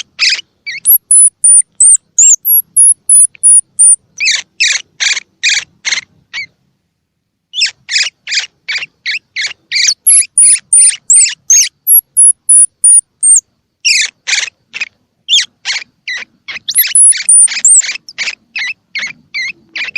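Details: Baby squirrel calling, played to stimulate young squirrels with open or still-closed eyes to eat: quick repeated harsh chirps in long runs, laced with thin descending high squeaks, with a brief silent gap.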